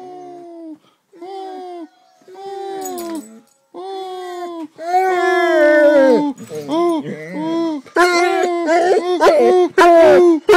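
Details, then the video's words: Basset hound howling along to a recording of himself, long tonal howls rising in intensity, sustained harmonic wails around mid pitch that become louder and more broken toward the end. "phil howls to his own youtube video"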